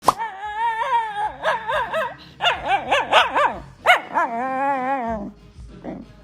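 A Shiba Inu lets out a long, wavering, yodel-like cry with rising and falling pitch.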